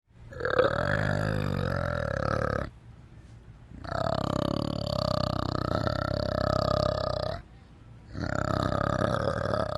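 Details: Orangutan giving long, deep, rasping groans lasting about three seconds each, three bursts separated by brief silences, rich and throaty with a burp-like quality.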